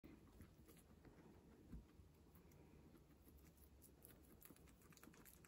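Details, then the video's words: Guinea pigs munching fresh herbs: soft, quiet crunching and rapid chewing clicks in steady patter, with a faint high background whine. "Guinea pigs munching fresh herbs"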